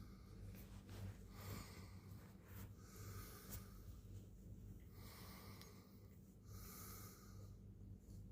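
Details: Purring cat at morning time, a continuous deep vibrating hum with a pulsing low rumble, punctuated by airy inhale and exhale rasps roughly every second or two; indoor setting, no other noises.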